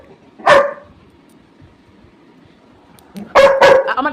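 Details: Pet Labrador Retriever, described as mischievous, gives one sharp bark, falls silent, then lets out a rapid run of loud, harsh barks near the end while a person speaks to it in Bengali.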